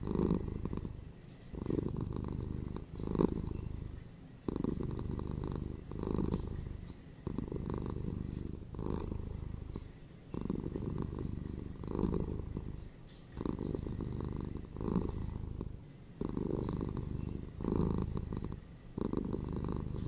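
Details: Indoor domestic cat producing a long, rhythmic purr, low vibrating rumble rising and falling with about twenty breaths per minute, alternating louder and softer phases without other noticeable sounds.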